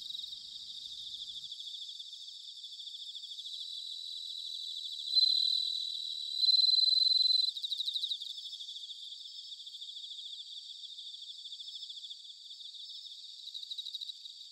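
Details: Bell cricket chorus in autumn, recorded in Sanuki, Chiba Prefecture, Japan: a steady high shimmer of pulsed trills, broken by two loud clear bell-like tones around the middle and a brief burst of rapid chirps.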